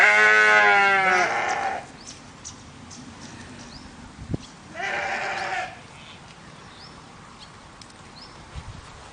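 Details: Farm sheep outdoors bleating: a long, loud, quavering bleat with a wavering tremble lasting over a second, then a quieter, shorter bleat a few seconds later, with faint background noise and a brief click between them.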